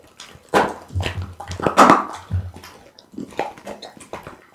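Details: Pit bull named Bounce eating raw food such as boiled loach, tuna blood meat, beef kidney, lamb spine and horse meat, filmed as close ASMR; wet irregular chomps and crunches in bursts, with a low hum under some bites.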